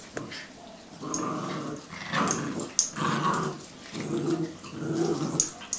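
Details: Jack Russell and Yorkie dogs growling while playing tug of war indoors; rough, rumbling growls in bursts about a second long, rising and falling with pulling, with brief scuffling noises between.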